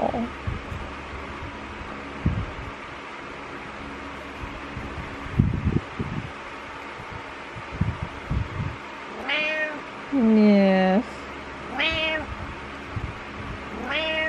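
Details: Morning meows from Butters, a house cat, in a small room: after several seconds of soft shuffling and thumps, four meows arrive close together, one longer and drawn-out, with a faint electrical hum throughout.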